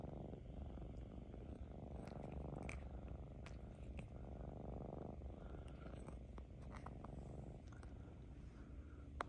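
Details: One of two affectionate Ragdoll cats purrs steadily, a deep continuous rumble with faint clicks and rustles.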